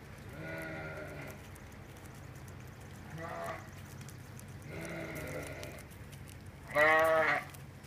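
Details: A 16-year-old female Toggenburg goat, kept with sheep, gives wavering bleats about one second long, four in eight seconds, the last one loudest and harshest, over a steady low hum, after a person speaks.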